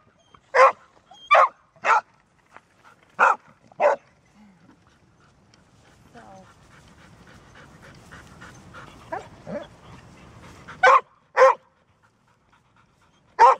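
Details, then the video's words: Golden Retriever, described as barking only when necessary, gives loud barks in small bursts, then a quieter stretch with soft rustling and faint murmuring before barking resumes in sharp single and paired barks. ""Bellen", Golden Retriever"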